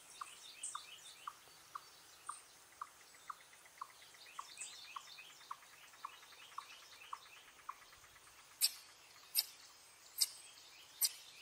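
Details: An eastern chipmunk (Tamias striatus) gives a steady series of sharp, bird-like chips, about two each second, an alarm call warning of danger.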